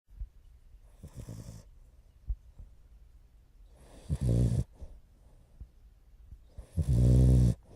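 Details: French Bulldog puppy Morio, nearly four months old, asleep and snoring unusually loudly for a puppy, recorded 29 November 2011; soft rasping breaths build to two strong, harsh, buzzing snores near the end.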